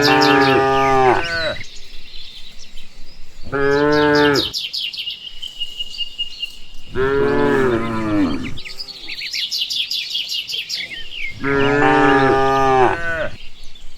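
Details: Cows being herded home in the countryside after grazing: four loud, rich moos of one to two seconds, coming every three to four seconds, with high bird chirps between and over them.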